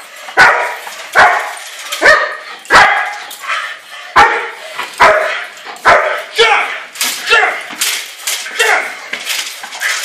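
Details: German Shepherd barking through bite work training, a rapid run of harsh barks about one per second, growing quicker and softer toward the end, mixed with human talk.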